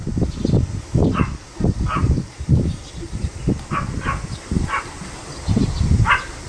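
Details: Small Pomeranian dog, recorded 25 July 2015, yapping repeatedly in short high bursts, mixed with loud low thuds and rustling close to the recorder.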